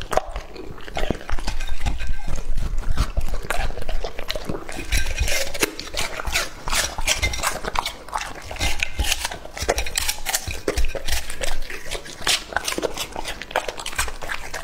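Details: Two-and-a-half-year-old male English-type Labrador Retriever eating raw meat; dense wet chewing and crunching with irregular smacking bites, about 160 per minute, with no other clear sounds.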